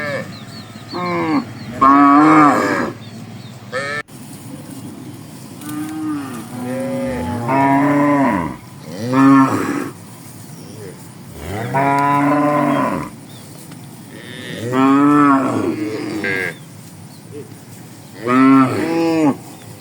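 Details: A herd of tame cattle crowded together in a lush green rice field, chewing fresh grass on a morning. Many moos answer one another, each short with a rising-then-falling pitch, roughly every two seconds across the stretch.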